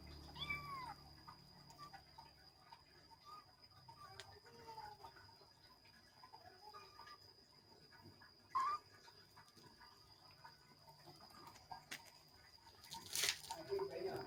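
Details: Kittens playing, with a clear rising-then-falling meow at the start and several softer, shorter mews scattered after it, punctuated by thumps and rustling from their play; faint steady hum underneath.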